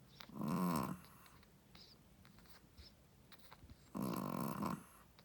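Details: Sleeping Shih Tzu mother, a first-time mother, snoring indoors: two loud, harsh, buzzing snores roughly three seconds apart with soft breathing between them.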